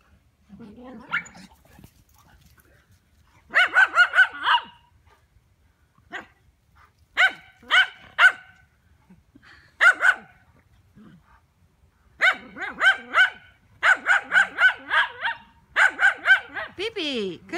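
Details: Lowchen and Cane Corso dogs, with Gracie Lou taking a break from her babies to run in freshly cut grass. Sharp, ringing barks come in quick bursts of three or four with quiet gaps, building into a rapid run of barking near the end.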